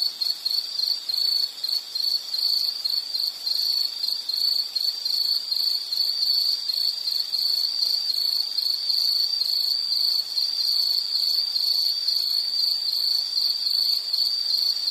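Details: Insect chorus in a relaxation nature soundscape: a steady, high, continuous ringing trill with faint wavering pulses, unbroken throughout, with a hiss of fainter insects above it and no other clear sounds.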